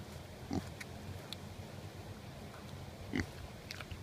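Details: Kunekune pigs grazing and getting a scratch, giving two short, soft, low grunts about two and a half seconds apart over a steady background hiss.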